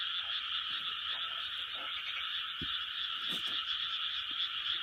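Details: A great frog chorus from 2020, dozens of high grating croaks overlapping into a constant dense drone, steady in loudness, with occasional faint low knocks in the background.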